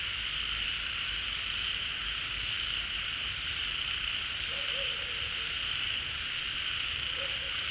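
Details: Many frogs calling together at a pond as water returns in the rainy season, after leaving their burrows: a dense, steady high chorus drones throughout, with a few short, low wavering croaks near the end.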